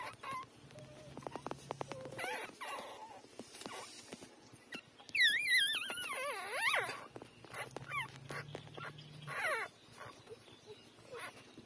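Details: Three-day-old newborn puppies feeding from their mother: scattered thin squeaks, then a loud, wavering, whining cry midway, followed by more brief high squeals and faint rustling.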